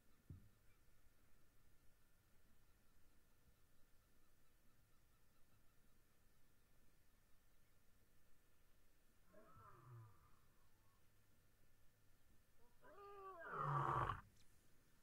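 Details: A Busanga lion calling gives deep, throaty moaning calls that build to a louder roar near the end.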